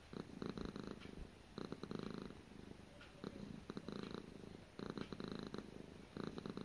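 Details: Gara the cat purring softly: around five rumbling, pulsed bursts with slightly uneven gaps, one longer lull mid-way, low buzzy texture and quiet room background.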